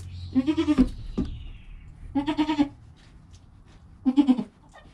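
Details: Within his first hour after birth, the goat kid Joel bleats three times, each a pulsing, quavering cry about two seconds apart, with a faint knock between the first two; his mother Penny stays calm nearby.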